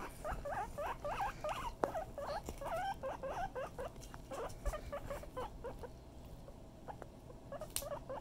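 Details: Male pet guinea pig playing with his ball, making a fast, uneven series of short squeaky chirps and chuts, several per second, over soft rustling and occasional taps.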